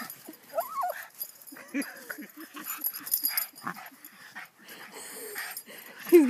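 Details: Boston Terrier named Oto, playing hard against a hockey stick at home: a rising-falling whiny yelp near the start, then rapid rhythmic huffing grunts and panting, with a sharp squeal at the end.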